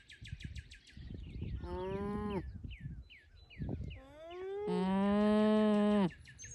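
Alpacas hum in nasal, tonal voices, some notes bending up and down, one long and steady.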